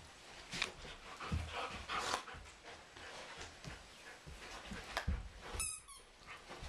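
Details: Energetic indoor wrestling match between a German Shepherd and a Doberman, two young sheep watching, filmed in April: breathy panting and scuffles, then a short shrill squeal near the end.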